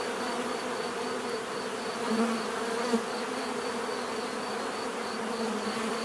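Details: Continuous bee buzz with one nearer insect briefly rising louder around two to three seconds, passing tones gliding over the steady massed drone.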